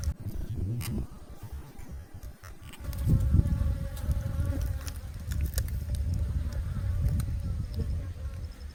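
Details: Yellow-legged hornets hunting native honeybees at a hive during the hornet breeding season, snatching bees alive; a low, droning wing buzz rises and falls throughout, with scattered clicks and taps over it.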